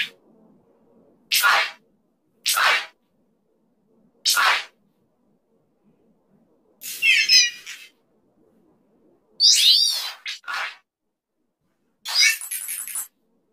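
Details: Fox named Fong vocalizing: short, harsh, raspy yelps at irregular intervals, three single bursts in the first five seconds, then longer quavering, rising and falling cries in clusters. Silence lies between the calls.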